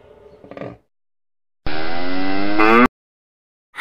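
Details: Cattle awaiting qurban sacrifice, seen on a Sunday morning outing where many cows are gathered and visitors feed them; a single loud, harmonic moo lasting just over a second, slightly rising, after faint children's voices, then silence.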